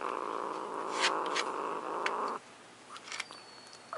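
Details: Luna, a pet cat guarding her macaroni and cheese, gives a steady low throaty growl for over two seconds, then falls quiet with light clicks and scraping.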